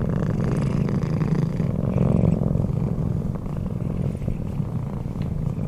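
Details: Sleeping Bengal cat purring steadily, a deep, even, rapidly pulsing rumble throughout with no other clear sounds.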